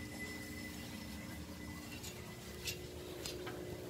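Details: Low, quiet room hum with a faint steady tone and a few soft clicks or rustles; no animal voice is heard.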